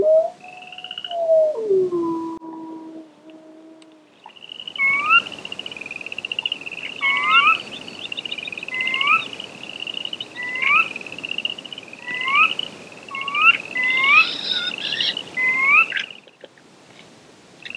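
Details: Chorus frogs calling in the wild near Slough Creek at about 9 pm on a mid-May spring evening. A wolf's long, falling, mournful howl opens the recording, followed by short rising calls that repeat roughly every second and overlap one another.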